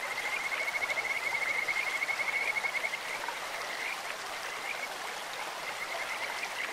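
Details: Kajika frog in a clear stream giving a long, high, rapidly pulsed whistle-trill that rises slightly over nearly three seconds, followed by scattered softer notes against continuous flowing-water noise.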